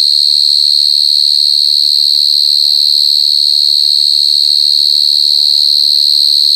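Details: Very loud calling of a short-tailed cricket (gangsir): a constant, intense high-pitched trill without breaks, steady in pitch, while faint low tonal sounds drift in softly beneath it after the first couple of seconds.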